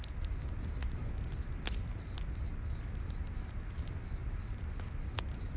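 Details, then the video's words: Cricket in a night forest beside a campfire, giving steady high, pure chirps about three per second, with occasional sharp crackles and pops from the fire over a low, soft rumble. "Campfire In The Night Forest w/ Cricket Sounds"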